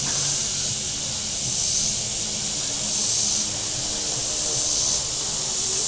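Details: Steady shrill cicada drone from the shoreline of Table Rock Lake, southern Missouri, on a very warm day, gently rising and falling about every two seconds, with faint low boat motor rumble beneath.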